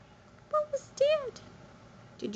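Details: Electra, a seal lynx point Siberian kitten indoors on a stool, gives a short tonal chirp, then a clear rising-and-falling meow with rich harmonics; a woman's voice speaks softly around it.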